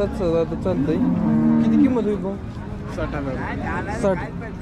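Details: Jersey cattle at the Sangola market, Solapur district, India, in October 2023: a long, sustained moo followed by shorter, rougher calls, with voices and vehicles in the background.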